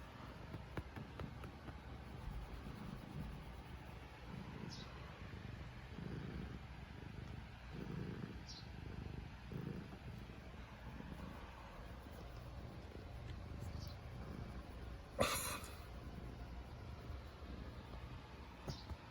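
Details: Black pet cat purring contentedly while kneading with its claws and nibbling: low, soft rumbling swells pulse steadily about every one and a half seconds, with one brief sharp rustle partway through and faint high squeaks scattered above.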